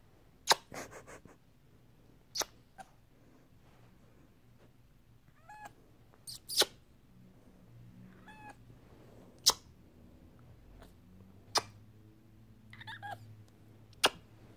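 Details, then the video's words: Annoyed male pet cat indoors gives brief rising chirps and soft strained meows, scattered among sharp taps and clicks over a low room hum. "CAT TIGER MAKING FUNNY AND CUTE NOISES... all I have to do is annoy the boy a little"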